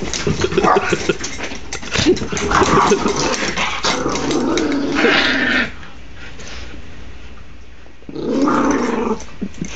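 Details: Dogs wrestling in play, captured on an Android phone: rough throaty growls rumble in long bursts for several seconds, drop away to quiet, then a second growling burst returns near the end.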